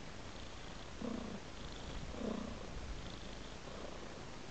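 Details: Cat following a trail of raw meat purrs continuously, a low rumble that swells in distinct breathing cycles about once every 1.2 seconds, with louder pulses near the first and second seconds.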